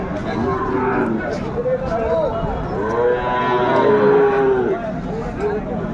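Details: Market-bought Sahiwal bull calves in Chattogram, Bangladesh, on 13 December 2024 give several overlapping bellowing moos, some arching up and down in pitch, amid steady crowd noise and clatter.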